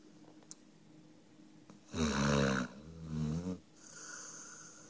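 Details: Sleeping dog named Five snoring indoors: one loud, rough snore of about a second and a half with a low buzzing drone, then quiet breathing and a softer hiss.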